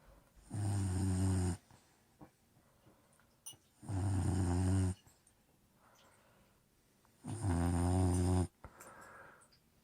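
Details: Old English Bulldog asleep and snoring: three loud, low rumbling snores, each about a second long and spaced roughly three seconds apart, with soft breathing and faint rustles in the quiet gaps.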